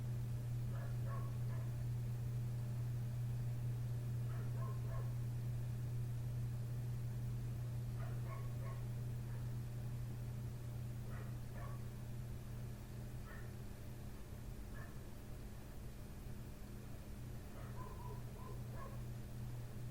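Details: Neighbour's dog barking in the night right outside a window, ongoing from 1:30 am until 3 am: short distant barks in scattered bursts every few seconds over a steady low mechanical hum.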